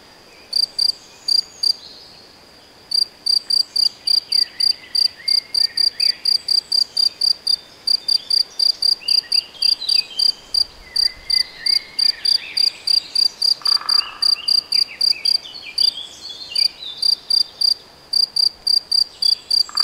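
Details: Cricket or grasshopper in the Nagyerdő woods at Debrecen, Hungary, giving rapid, high, even chirps, sparse at first and then about four per second, with distant birds calling and one soft low thump midway.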